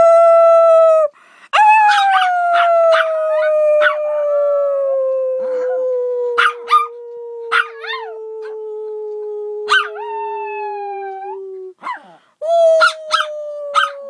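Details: A single dog gives one long howl that slowly falls in pitch over about ten seconds. Short yelps and wavering breaks cut into it, and a fresh howl starts near the end.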